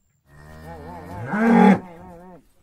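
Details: Tame cow in Indonesia being called with salt water: a single long, wavering moo with rich harmonics that swells to a loud peak midway before tapering off.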